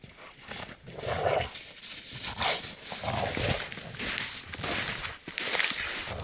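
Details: Two Akitas playing in the snow trade throaty, rasping growls and huffs in quick, roughly one-second bursts, with soft crunching and scuffling footsteps underfoot.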